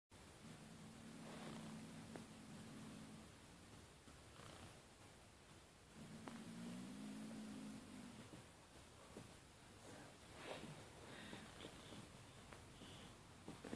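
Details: Male kitten growling in 2014 to keep people from taking his pink toy: two low, rough, steady rumbles of about three seconds each, separated by a pause, over faint background rustling.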